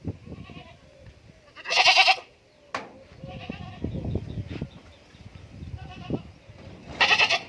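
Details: Goat on a farm in Indore giving loud, harsh, buzzy bleats near the start and end, with a sharp knock and softer bleating and farm noise in between.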